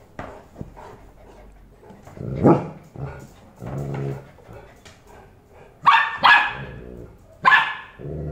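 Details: Golden Retriever puppy and its father from Bangalore arguing with each other, a few sharp barks around six and seven and a half seconds breaking through lower grumbling and quieter sounds.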